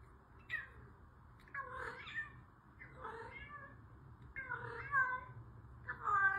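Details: Female orange cat meowing indoors, a run of about five drawn-out, wavering meows with uneven gaps, some rising then falling in pitch, the later ones louder and more strained, over a faint low room hum.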